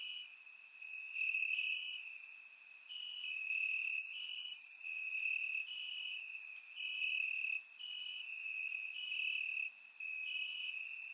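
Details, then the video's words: Night chorus of crickets in grass, warm summer, Bulgaria: a sustained high trill with repeated short chirps about every second and intermittent bright, buzzy bursts from additional insects, captured on a surround microphone. "Cricket Sounds - Crickets Chirping at Night"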